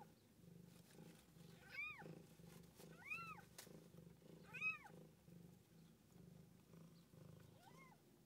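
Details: Cat with kittens, a mother and her young; four arched mewing calls spaced roughly one to one and a half seconds apart, the last one thinner and higher, over a low steady rumbling background.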